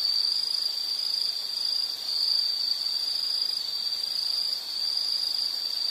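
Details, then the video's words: Continuous high, even insect trilling, a sustained shrill whine with small swells and fades, offered as a soothing nature sound for relaxation and sleep. "Sound · Nature Sound of nature sounds scenery L · insect"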